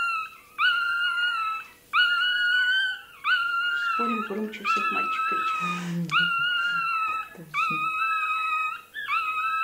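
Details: Toy terrier puppy, possibly the loudest male, screaming during tail docking: long shrill descending wails about every second and a half, with adult voices talking underneath.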